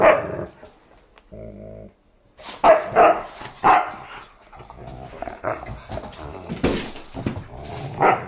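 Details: Playful German Shepherd and Siberian Husky puppy tussling over a favorite new chew toy, giving a fast run of rough barks, yips and growls amid scuffling, after a brief low hum near the start.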